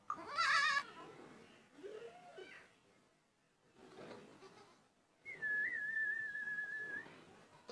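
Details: Goat letting out a harsh, quavering bleat at the start, followed by softer low calls; later a long, steady, high whistle sounds over faint background noise.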